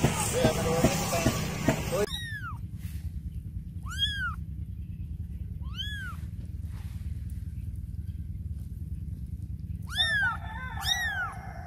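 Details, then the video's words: Cats and kittens meowing in a compilation: after a burst of noisy rumble, short high arched mews sound about every two seconds, then two quick overlapping mews near the end, over a steady low hum. "Cats And Kitten Meowing Compilation"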